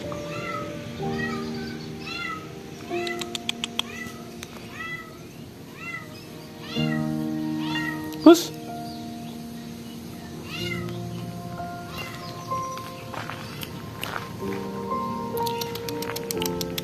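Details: Domestic cat crying out loudly in the back yard of a workplace, heard during a search for the missing cat Tuxedo; a quick run of short rising-falling meows, several each second, then scattered calls, over background music and a man's voice.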